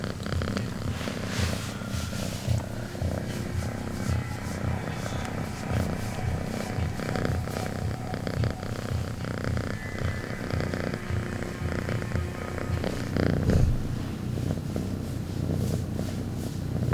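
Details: Domestic cat purring very loudly, a steady low rumbling purr that continues unbroken throughout, with a faint hiss of background noise over it.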